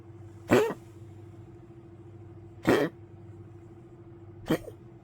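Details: An old poodle coughing after waking late at night, recorded 1 May 2025: three short, harsh, explosive coughs, the first two strongest and about two seconds apart, the last softer, over a steady low indoor hum.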